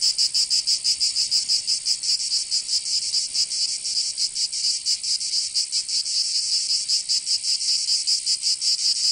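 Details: Cicadas in Provence, southern France, during summer: a loud, high-pitched sizzling drone with uneven throbbing pulses, unbroken for the whole stretch and free of other sounds.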